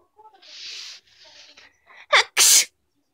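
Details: A Chinchilla Persian cat gives a few soft, breathy sniffs, then a quick double sneeze that sounds like a cackling 'kekeke'.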